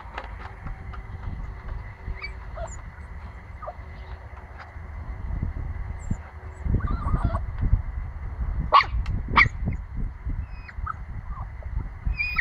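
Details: Nine-week-old pomsky puppy barking: a few faint yelps early on, then two sharp, bright, high barks close together near the end, with soft whines between, over steady low wind-like rumble.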